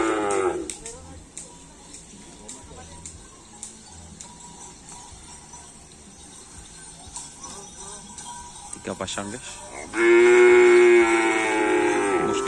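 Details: Bull racing (karapan sapi) practice on the Asemanis field in Pamekasan: a noisy stretch of crowd and field sound, a short bellow at the start, then a loud, steady, flat-pitched moo over the last two and a half seconds.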